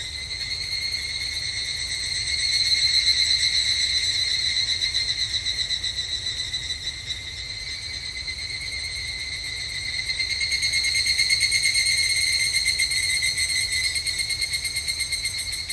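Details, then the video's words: At a Japanese temple in summer, evening cicadas keep up a continuous shrill pulsing trill that rises and falls in two swells, the first peaking around three seconds and the second around eleven. "日本の夏～お寺とひぐらしの鳴き声Japanese Summer Temple and Evening Cicada"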